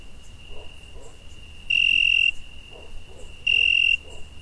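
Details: Cricket chirp in the night, summer: two loud, high, buzzing-ringing trills, each over half a second long, with a fainter continuous trill and soft scattered background noise.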